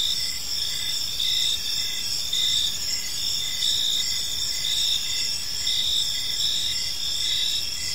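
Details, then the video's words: Crickets chirping in a peaceful park as evening unfolds: a steady high shimmering chorus with short pulsed bursts of trilling swelling in and out roughly every couple of seconds, no other clear sounds. "Park Serenade: Cricket Sounds in a Peaceful Park"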